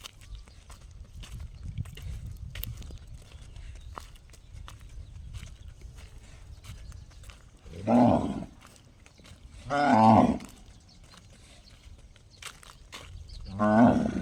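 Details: Cow giving an unusual call likened to a gong: three loud harmonic calls about two seconds apart near the end, after a long stretch of low rumbling background noise and faint clicks.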